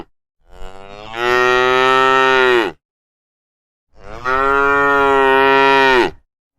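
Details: A herd of tame cows being herded home in the evening; a cow gives two long, steady moos, each about two seconds, with a pause between them.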